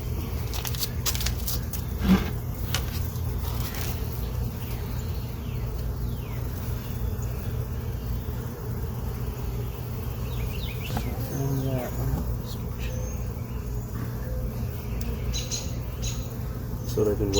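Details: Honey bees in a hive box they moved into 11 days earlier, inspected late in the afternoon with many foragers back inside, working seven frames; a steady low droning hum with scattered clicks and knocks from handling the frames.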